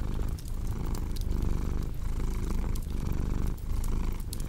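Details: Domestic cat purring steadily, a deep continuous rumble swelling and easing with each breath about once a second, overlaid by the sharp pops and crackles of a wood fire.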